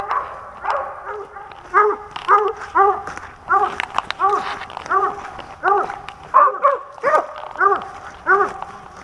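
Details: Hunting dog on a squirrel hunt in Pennsylvania, 2021, barking steadily in repeated short harmonic barks, roughly one every half second, with a few faint background sounds.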